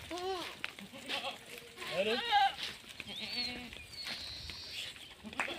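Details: Female Sirohi goats kept on a Rajasthan farm in India, two or three short quavering bleats rising and falling, mixed with background voices and a thin high whistle-like tone.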